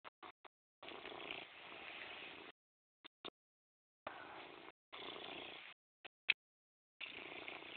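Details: Purring from Morris the cat, heard as a low, grainy rumble in sustained stretches lasting up to two seconds, separated by pauses and a few sharp clicks.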